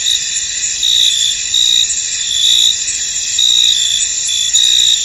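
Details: High, sustained cricket chorus from a misty field, with bright chirping bursts rising and falling about once a second over a constant trilling background.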